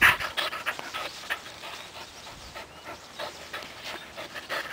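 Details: Panting from Buddy, a 4-month-old pet puppy who tumbles while playing fetch: a string of airy, hissing breaths, loudest at the start and then steadier and softer.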